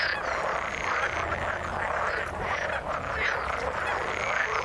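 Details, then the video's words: A chorus of frogs in water: a thick, unbroken mass of croaking, with the rough, rattling calls of many animals blending into one steady drone. "Frog sound in the water"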